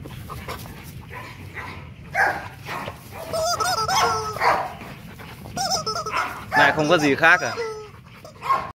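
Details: At Gervi Kennel, the male Rottweiler Loki, almost two and a half, during play gives wavering, pitch-bending whines and yelps mixed with short barks, while human voices talk alongside.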